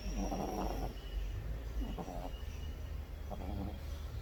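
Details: Pet dog snoring in its sleep: low, rough snorting breaths at about one-second intervals, with broadband bursts at each inhale and a steady low hum underneath.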